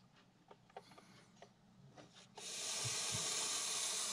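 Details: Agitated Montpellier snake reacting to a threat: faint rustling and clicks first, then a sudden loud, even, airy hiss that starts partway through and holds steady to the end.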